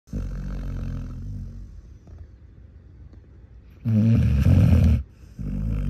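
A Basset Hound snores loudly, with deep, rumbling, rattling breaths in and out.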